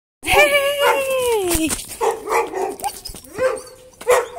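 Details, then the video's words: Tamaskan dog, very happy to see its owner again after a weekend away, gives a long, high, drawn-out whining howl that slides slowly downward, followed by shorter yelps and squeaky whimpers. "Tamaskan Dog is VERY happy"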